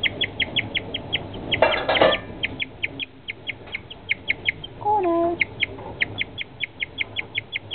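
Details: A guinea pig suddenly, unexpectedly chirps in a steady run of short, high, bird-like peeps, roughly three a second, broken by a brief rustling burst and a lower falling squeak; owners had never heard a guinea pig make such a noise.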